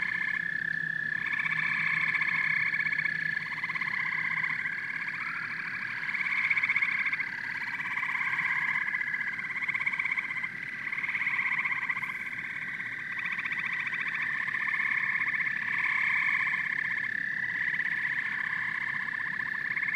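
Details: Dense chorus of frogs and toads, high chirping trills over lower pulsed croaks that come in rhythmic bursts, the whole mass rising and falling gently in volume throughout.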